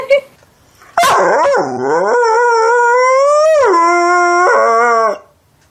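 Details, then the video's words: Dog howling in a long, loud, harmonic-rich tone, starting with a sharp yelp, wavering then rising to a sustained held note before stepping down and ending abruptly, with no other sounds around it. "Talking Dog Videos Funny Talking Dogs"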